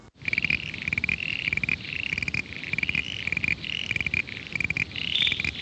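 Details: A chorus of common eastern froglets (Crinia signifera) from the Greater Adelaide area gives short, high, insect-like creaks. Some give single creaks while others run them into fast, steady series that go on and on.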